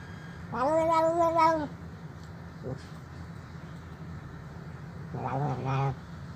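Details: Old, very hungry feral stray cat at a doorstep, meowing for food and crying while eating; one long, clear tonal meow lasting about a second, a brief faint sound, then a shorter wavering meow, over steady low background hum.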